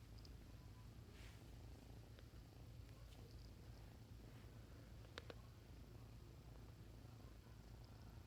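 A Bengal kitten purrs in a soft, steady, low rumble that runs unbroken throughout.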